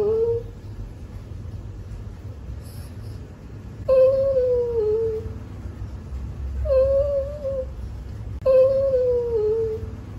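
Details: Poodle whining indoors: four high, thin whimpers, each starting with a sharp rise and then sliding slowly downward, spaced a few seconds apart over a low background hum.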